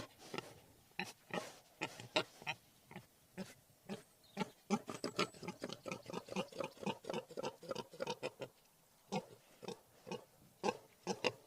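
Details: Wild boar producing quick, rasping grunts in irregular bursts, crowding together in the middle and thinning out toward the end.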